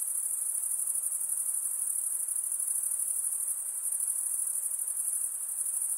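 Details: Nocturnal insects keep up a constant thin, high-pitched ringing trill with a faintly throbbing texture; quiet hiss below it and no other sounds.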